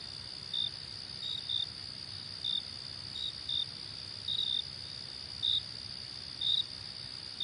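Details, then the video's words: Crickets chirping: short, high, clipped chirps sounding in small irregular bursts about once a second over a constant shrill insect hiss, with no other clear sounds. "Relaxing Cricket Sounds"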